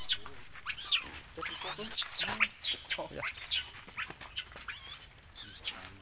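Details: Baby monkey Lucie crying loudly and angry after its mother rejects nursing: shrill, piercing screams arching high and falling, repeated in close, strained bursts with brief breaths between and rustling underneath.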